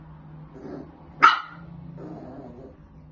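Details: Maltese dog indoors at home, barking at random things: a single sharp bark in the middle, preceded and followed by soft low grumbling sounds, with steady background hum.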